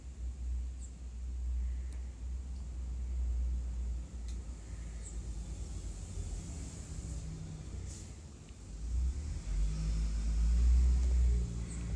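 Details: Quiet low engine rumble of passing cars swells and fades, with a few faint clicks and no animal voice.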